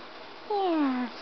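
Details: Male house cat indoors, a single clear descending meow lasting about half a second, starting high and sliding down smoothly, with a faint room hum behind it.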